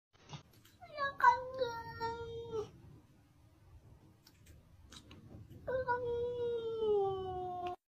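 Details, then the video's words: Talking cat indoors in a small room: two long, drawn-out, wavering meows, the first rising then levelling off for about a second and a half, the second steady and slowly falling, with a quiet pause between them. "Talking Cat"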